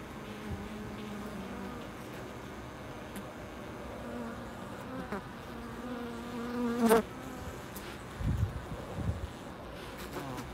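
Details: Bees at a loading dock, their low humming buzz swelling and fading in short passes, loudest around the middle, over a steady background rumble with a few sharp knocks.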